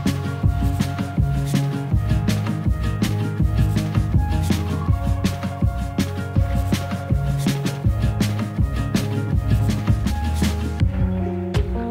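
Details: Steady rhythmic music with a strong bass beat plays throughout, and no animal sounds are heard.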